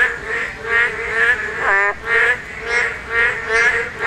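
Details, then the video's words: Spawning-season chorus of Korean narrow-mouthed toads: nasal, buzzy calls repeated about twice per second, overlapping voices, one sharper twangy note standing out midway through. "맹꽁이 산란!! 맹꽁이 울음소리"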